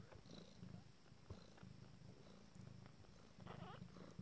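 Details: Abyssinian kittens at nine days old purr in a low, pulsing rumble in short bursts, with one faint high mew near the end.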